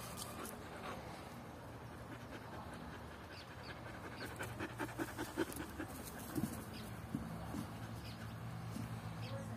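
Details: Rapid, husky panting by Luna, a Belgian Shepherd puppy of 11 months, between retrieves of a boot in a fetch game; breaths come roughly two or three per second, with brief voice sounds and outdoor background hiss.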